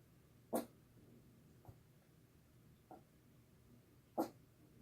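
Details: Two puppies at play, a seven-month-old Jack Russell and a mini Chihuahua, one named Sadie acting wild; two sharp, short yips about three and a half seconds apart, with fainter soft sounds between them in a quiet room.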